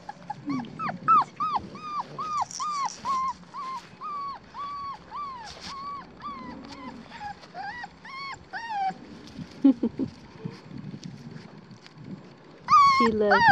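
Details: Black tri female Australian Shepherd puppy, nearly four weeks old, at a farm in Tallala, Oklahoma: a long run of thin, high whimpers, short rising-then-falling whines in quick succession, a brief lull, then a few louder yelps at the end.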